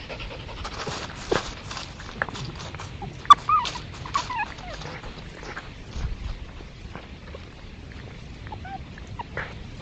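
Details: Red foxes, recorded on trail cameras at a woodland edge among fields in East Sussex, give high, squeaky whines and short, bending yelps, possibly playing, fighting or establishing territory, over panting and rustling.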